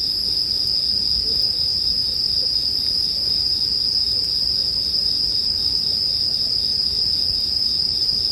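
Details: Sleep background of bell crickets beside a crackling fire; the insects keep up a constant, even, high metallic ringing for the full stretch, with only occasional tiny crackles.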